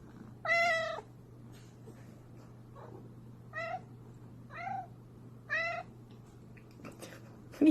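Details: Cat giving a run of short, bright meows about one second apart, the first loudest, over a low hum, with a person speaking nearby and a sharper cry at the end.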